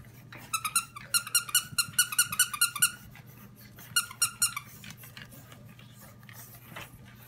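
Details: Blue French Bulldog puppies, ready for their new homes, indoors: rapid bursts of high, squeaky whines and yelps, a long run of about a dozen then a shorter run of five, followed by softer scattered squeaks.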